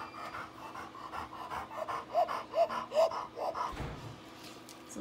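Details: A female Labrador with laryngeal paralysis pants with rapid, harsh, rasping breaths; a veterinarian uses it to show what the disease sounds like.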